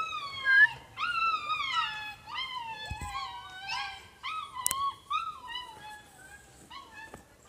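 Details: Siberian Husky puppies in Lahore, Pakistan, whining in a run of drawn-out, sliding, howl-like cries, each bending up then down, several overlapping, fading toward the end, with a brief knock in the middle.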